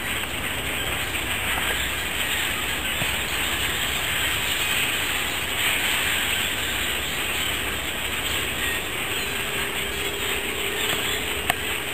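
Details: Steady broadband hiss and rumble like a passing train, with no animal voice standing out.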